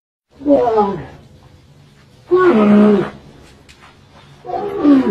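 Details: Camel calling with three loud, moaning, groaning calls spaced about two seconds apart, each falling and wavering, in a quiet setting.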